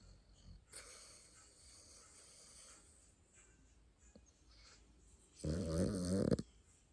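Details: Pet dog asleep and snoring: raspy breathy snores drawn in and out, quiet at first, then one loud rough snore lasting about a second near the end.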